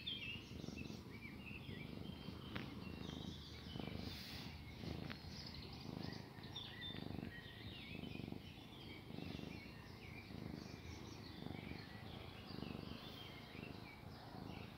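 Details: A domestic cat that treats a person like its mother, kneading while it purrs, purrs softly in a low, steady rumble, with faint bird chirps in the background.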